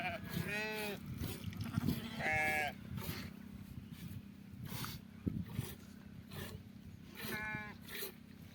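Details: Sheep bleating during milking: three quavering, nasal bleats near the start, middle and end, with people talking and handling sounds between them.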